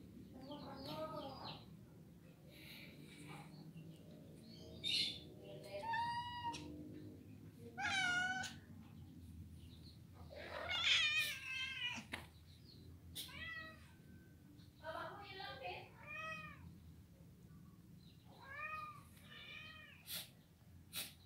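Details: Domestic cat at a cat grooming and boarding house in Maguwoharjo, Sleman, Yogyakarta, Indonesia, in the daytime, giving a string of clear, drawn-out meows that rise and fall, roughly ten over twenty seconds, with short gaps and a low background hum.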